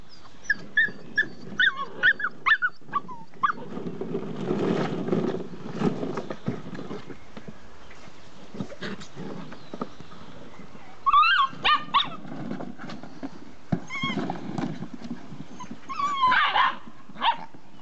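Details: Six-week-old puppies of a Z-litter give high, rising whimpers and yips in quick bursts, clustered near the start, around eleven to twelve seconds and near the end, over a steady low rumble.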